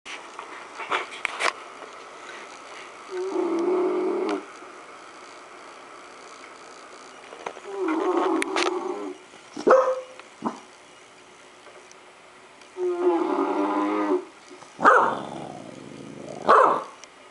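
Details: Dodger, a pet dog, startled by a playback of his own sleeping snores, answers with low drawn-out growls broken by a few sharp barks, spaced several seconds apart.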